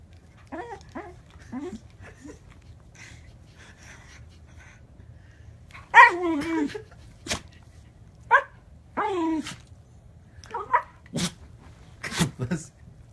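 A Pembroke Welsh Corgi makes odd, whiny moaning noises that slide downward in pitch.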